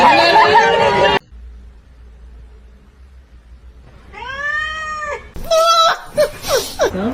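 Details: Domestic cat giving one drawn-out, arching meow partway through. A human voice comes before it, and further mixed meows and chatter follow.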